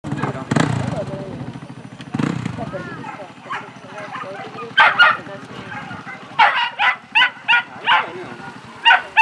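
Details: Female whippets at the Grand Prix Polski final A in Bytom, 2019: after people talking, a burst of sharp, excited barks or yelps repeats roughly every half second over the second half.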